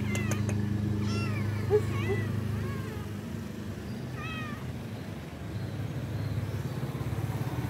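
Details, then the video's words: Roadside stray cats that got up to beg for food on someone's arrival; a pair of quick, slightly wavering meows, then one longer cry after a pause, with a steady low drone of traffic behind. "cat nipples when I came they immediately got up and asked for food"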